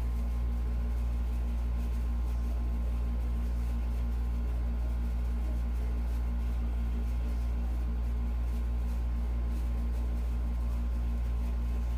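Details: A steady low mechanical hum fills an indoor room, like a fan or engine droning without change.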